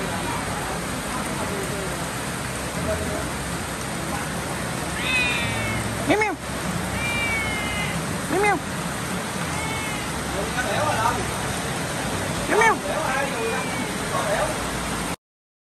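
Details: Cats out in the rain give brief curved meows around 6, 8.5 and 12.7 seconds, set against constant rain noise, with softer high wavering calls drifting in between.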